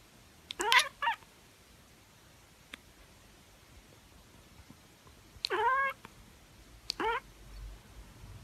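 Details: Tabby cat chirping indoors: three short harmonic chirp bursts, each rising then falling in a quick trill, near the start and again around five and seven seconds, with quiet gaps between.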